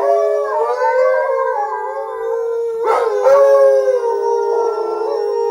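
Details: Alaskan Malamute chorus of Dotty, her mother Sojou and Fish, set off by a sound blown through a hollow foam pipe: long steady overlapping howls, one voice holding a level tone while another wavers above, with a brief rough break midway.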